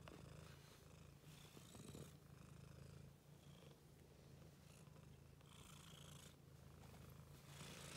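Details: Domestic cat playing in a laundry basket, giving a strong, steady low purr throughout, overlaid by soft rustling bursts of fabric and basket movement.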